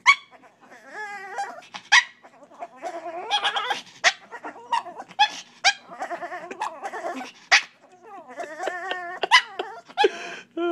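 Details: Sunday, a pet dog, making weird noises to get attention so she will be let up on the bed; a busy stream of wavering whines, yips and groaning vocal sounds, some pitched and warbling, others short and sharp, in a quiet room.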